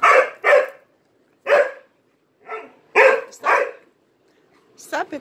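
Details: Dog playing with three Malinois barks too much for attention; six loud, harsh barks in pairs and singles with gaps between them, followed by a brief higher yelp at the end.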